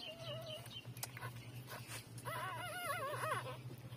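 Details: Newborn puppies, three days old, suckling from their mother. A short wobbling whimper at the start, then a louder rippling, quavering whine for over a second. A constant low hum runs underneath.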